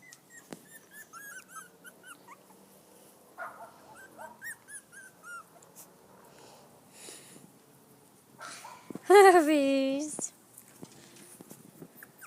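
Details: On their first outing onto grass, five-week-old poodle-shih tzu mix puppies make a run of short, high, bouncing whimpers, then one loud, long, wavering whine near the end.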